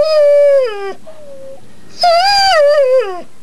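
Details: From under the bed, pit bull Harley lets out drawn-out, whimpering howls indoors: a sustained tone that drops sharply at its end, a soft shorter echo, then a louder wavering cry falling away near the close.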